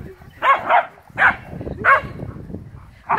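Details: Playful barking from Airedale Terriers romping with a Welsh Terrier, August 2017: a double bark, then two single barks about two-thirds of a second apart, and a fifth cut off at the end, amid low rustling.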